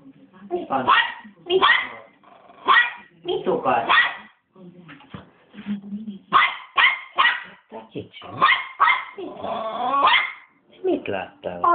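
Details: Very angry three-month-old Westie puppy barking continuously: clusters of high, piercing yaps mixed with lower, voice-like sounds and a brief pause near the middle.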